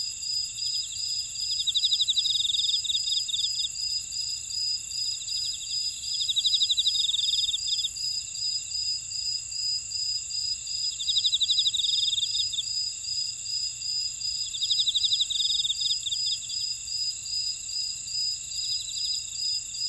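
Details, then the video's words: Chorus of insects in a buckwheat field at Ora-dong, Jeju, South Korea: continuous high shrill ringing overlaid by a pulsed trill repeated in regular beats, plus recurring louder rapid chirping phrases every four to five seconds. "제주 메밀밭의 풀벌레 소리"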